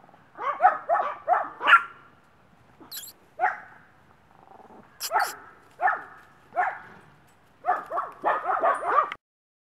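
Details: Missy, a one-year-old female Maltese and social dog awaiting adoption at a rescue in Brooksville, Florida, gives quick yappy barks: a rapid run of four, then single barks spaced about a second apart, ending in a fast burst, with brief sharp clatters between.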